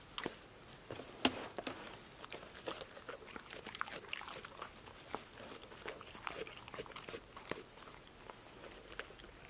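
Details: Passport, a female pet dog, eats healthy snacks such as apple slices, lettuce leaves, sunflower seeds in the shell, tomatoes and green beans, recorded close for ASMR; dense sharp crunches and wet mouth clicks come in quick irregular bursts throughout.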